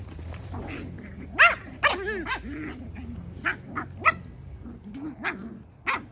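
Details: Havanese puppies playing intensely outside, several young dogs together: a run of short high yips and barks, some rising and falling, scattered across the recording over a low steady background hum.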